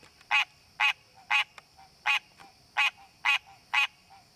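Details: A wild green tree frog in its natural habitat gives short, nasal, honking calls about twice a second, calling to attract a mate.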